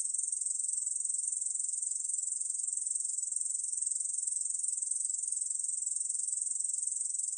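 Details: Korean bush cricket singing a continuous, sizzling high trill of closely packed pulses at constant volume, from a 2020 National Institute of Biological Resources recording; nothing else audible.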